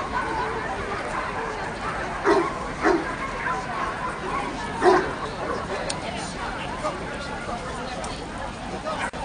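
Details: Dogo Canario at the Toruń National Dog Show, 19.08.2007: two quick barks in succession, a pause of two seconds, then a single louder bark, all amid continuous voices and babble from people in the hall.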